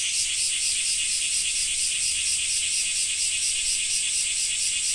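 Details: Japanese summer cicadas in the rain make a loud, unbroken, high-pitched buzzing wall of sound, softly throbbing at a quick regular rate, with nothing else clearly audible.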